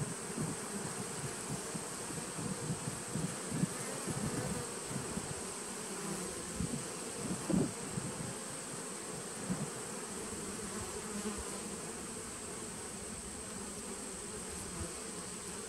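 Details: Honey bees in a nucleus colony dating from 2017, recorded 19 September 2018: a steady, dense droning hum from many bees, with a constant high whine above it and soft low thumps and knocks scattered through.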